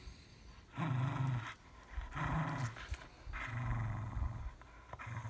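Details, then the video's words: Fox Terrier Evie growling while attacking a ball: three low, rumbling growls of about a second each, separated by short pauses, with noisy rasping overtones. "Fox Terrier Evie Attacking a Ball"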